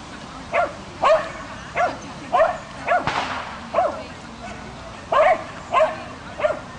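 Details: Ronja, a female Swedish Vallhund training agility for two months, barks in sharp, mid-pitched yaps, about eleven spread irregularly over the stretch, with a voice and background noise underneath.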